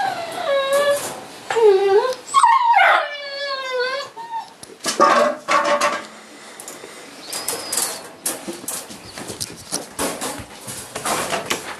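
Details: Neapolitan Mastiff puppies from one litter at home during a morning of toilet training and feeding give high, wavering whines that bend up and down over the first three seconds, followed by shuffling, rustling movement noises.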